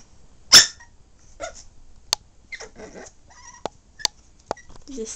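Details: Puppy at play lets out one loud, abrupt yap, followed by faint whimpery murmurs, several soft clicks and taps, and a person's quiet voice nearby.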